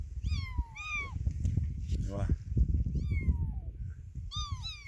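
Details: Motherless kitten crying in short falling mews, three or four in a few seconds, partly masked by loud low rumbling handling noise and nearby human voices.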